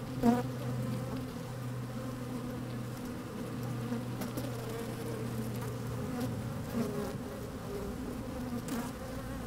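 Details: Busy honey bees recorded from a microphone lowered into an open hive on a fine sunny day: a low steady drone with a deeper sustained tone for the first six seconds, plus occasional taps.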